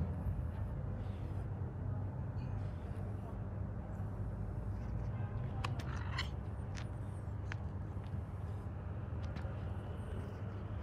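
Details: A gray domestic cat purrs, a low, steady rumble with a few faint clicks and rustles above it.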